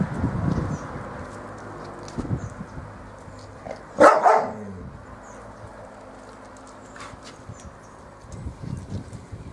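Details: Bearded Collie puppies from one litter playing on a roof terrace; one short, sharp bark rings out midway, with low rustling and thumping play noises before and after.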